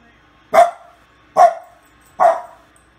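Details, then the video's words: Domestic dog interacting with babies, giving three sharp barks spaced about 0.8 seconds apart, each a short bright burst with a quick decay, over an otherwise quiet background. "Funny Dog Touching Babies So Cute"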